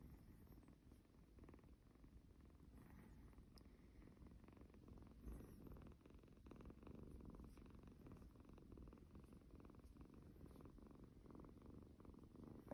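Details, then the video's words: Cuddled kitty kitten purring continuously, a snoring kind of rumble: dense low pulsing that holds level throughout, with a brief rustle or two and light handling noise. "cuddles his snoring kitty kitten"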